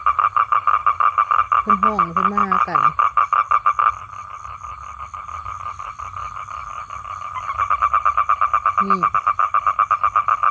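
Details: Calling male toad seeking a female for mating, a fast pulsed trill that fades to a quieter drone midway, then swells back into rapid pulses; a person talks briefly twice.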